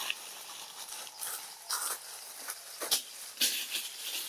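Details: Macaque named Jane in a monkey troop in Siem Reap Province, Cambodia, screaming and running away from the troop's big boss male while hungry; short shrill high-pitched bursts repeated several times over faint background noise.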